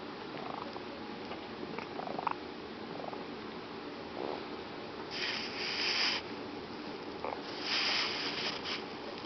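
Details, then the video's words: Fat domestic cat asleep indoors, snoring and wheezing: soft breathy rasps in an irregular rhythm, with two louder hissing exhalations near the end. "Fat Kitty snoring"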